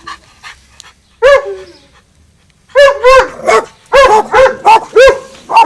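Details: At a garden fence, dogs Winston and Popeye start with a few faint, distant yaps and a single loud bark, then after a brief quiet break into a rapid burst of loud, clustered barks.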